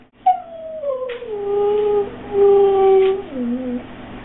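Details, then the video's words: Female pet dog singing along indoors to the song Island In The Sun played with its owner: one long, clear, melodic howl sliding down from a high start, holding two steady lower notes, then dipping lower at the end. "Bella Sings Island In The Sun"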